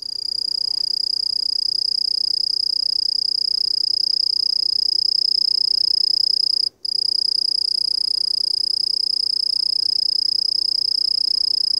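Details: Eurepa yumbena calling: a steady, piercing high-pitched trill of very fast, even pulses, sustained almost without pause apart from one brief break midway, with a fainter higher overtone above it.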